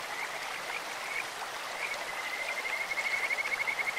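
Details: Kajika frogs croaking beside a clear mountain stream: scattered short whistled notes give way to a rapid, steady trill of bright pulsed whistles toward the end, all over constant rushing water.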